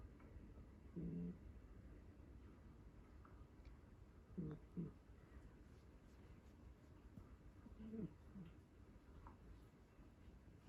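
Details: Chii the cat snoring while asleep on a lap, possibly being stroked; low rasping snores at roughly three-to-four-second intervals, some doubled, amid quiet room noise and occasional phone rustling.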